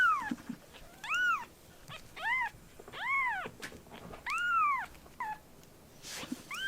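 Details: Six or so insistent mews from rescued baby kittens fostered for a volunteer group. The cries are rainbow-shaped, rising then falling, repeated roughly every second, with small clicks and a brief rustle near the end.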